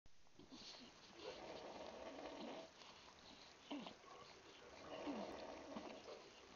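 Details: Newborn Bulldog puppies, born 1-1-12, huddled together in the birth nest. Faint soft grunts and short squeaky whimpers come and go over a steady background hiss, with two louder bursts near the middle and end.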